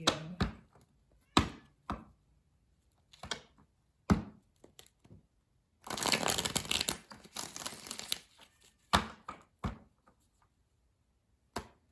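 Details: Sharp cracks, thumps and a burst of crinkling, shuffling noise indoors, with no animal voice.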